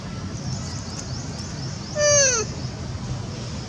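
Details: Young mother monkey weeping on the second day after losing sight of her baby; a single drawn-out, descending harmonic wail about half a second long, over steady low background noise.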